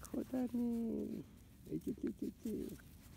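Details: Field-line Labrador Retriever puppies, 31 days old, running on grass: a long, steady, tonal whine with stacked harmonics, followed by a quick run of five short yelping cries.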